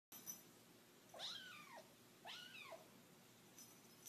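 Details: A 9-week-old white kitten playing with its first toy on its second day in a new home, giving two clear high meows about one second apart, each rising then falling, in a quiet small room.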